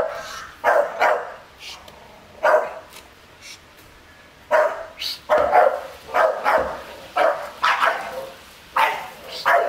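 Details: Garden-guarding Staffordshire Bull Terrier reacting to an unmasked stranger; short barks fall singly and in pairs, with a pause in the middle, and then a steady string of barks to the end.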